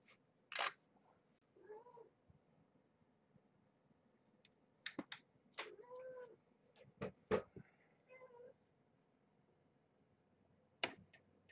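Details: Tiny kittens of Marge, a former pregnant stray cat, during evening play time while being handled: several short, thin mews with rising-falling tone spaced a few seconds apart, mixed with sharp clicks and knocks from handling.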